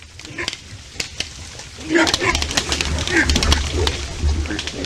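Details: A herd of white-lipped peccaries in the forest, startled by something (possibly a jaguar, the owner wonders), sounds the alarm with sharp clacks and rough grunts in the morning; white-lipped peccary.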